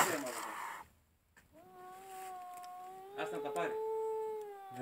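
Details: Angry domestic cat protecting her kittens: after a burst of noise, a long, steady, drawn-out tonal yowl that rises slightly near the end, with Polish speech nearby.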